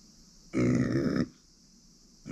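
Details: Uni, a female pet micro pig born in September 2020, gives one low, throaty, burp-like grunt lasting under a second indoors. A steady high electrical hiss runs underneath.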